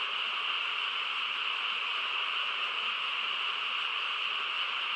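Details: Unbroken chorus from many frogs on a still country night, the overlapping calls forming an even, shimmering wall of sound.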